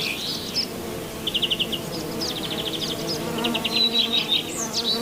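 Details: Honey bees among lavender flowers, humming in an even, continuous drone, overlaid by birds giving quick rattling trills, a sliding whistle and scattered chirps.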